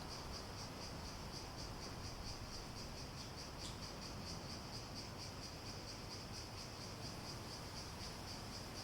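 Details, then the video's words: Cicadas with an unbroken high pulsing buzz, evenly repeated beats over a hissy natural background, plus a single sharp click near the middle. "Relaxing Sounds With Cicadas"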